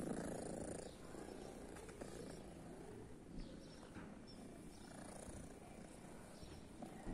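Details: Female cat, thought to be deaf and blue-eyed, from a guarded private property, purring close up; a dense, continuous low rumble with rhythmic pulses and occasional faint scuffing sounds.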